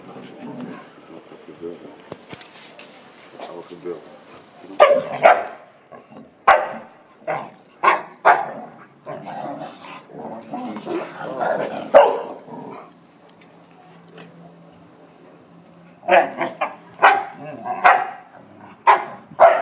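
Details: American Akita named Pallas playing with a Chow Chow: sharp barks in bursts around five to eight seconds and again near the end, with low grumbling growls and Dutch speech between.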